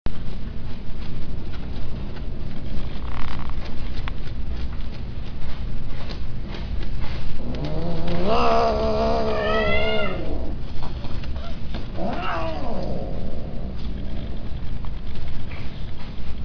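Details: A peke-face male cat kept for breeding gives two drawn-out meows midway, each wavering up and then sliding down, the second shorter, over a loud steady low hum.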